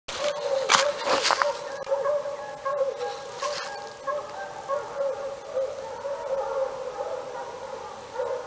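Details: Chorus of 48 dogs barking, a din described as heard every day for hours: dense, overlapping barks and howl-like yelps blend into a constant clamour, with sharper bursts of barking near the start.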